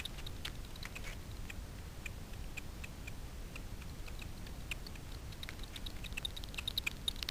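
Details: Daubenton's bats (Myotis daubentonii) foraging at night for insects on the water's surface over Miedwie lake, NW Poland; frequency-division detector echolocation heard as sharp, dry clicks in irregular bursts.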